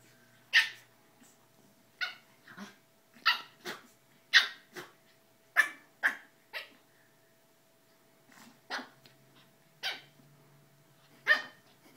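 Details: Pug barking while playing: about a dozen short, sharp barks over twelve seconds, some in quick pairs, with brief gaps between bursts and a faint steady hum behind.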